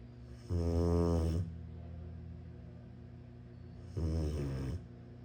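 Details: A Rottweiler puppy snores with deep, rumbling breaths, two long low snores a few seconds apart.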